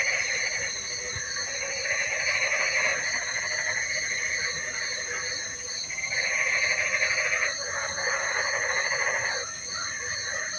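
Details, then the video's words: Frogs in the rain produce a thick pulsing chorus, rapid croaks swelling into louder bursts about every few seconds over steady high droning tones, with a hiss of rainfall underneath. "Suara Kodok Hujan"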